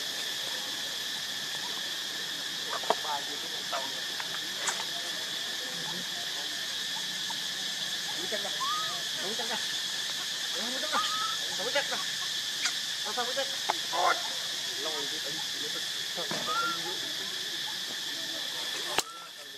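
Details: Baby monkey Lucie, hungry and crying for milk, foaming at the mouth: a few short, arched whimpering cries with a rise then fall, scattered through the clip over a loud, steady insect drone and soft rustling.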